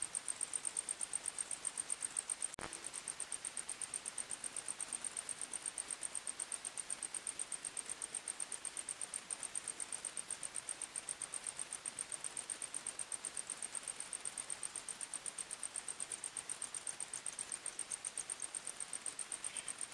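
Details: Crickets chirping at night in a forest: a thin, steady high-pitched pulsing repeated about four times a second, with a single sharp click early on and faint background hiss.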